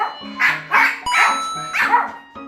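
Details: A 3-year-old Pomeranian and a 4-year-old Maltese, both sensitive to doorbells, give quick, high, excited barks in reaction to a recorded doorbell played at maximum volume during training.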